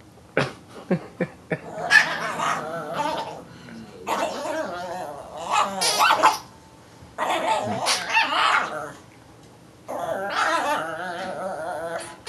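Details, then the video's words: Excited Chihuahua freaking out over a crazy ball: a few sharp clicks, then long bursts of harsh, growly, yapping barks in four separate runs, with quiet pauses between them. "the cutest Chihuahua freaking out over crazy ball"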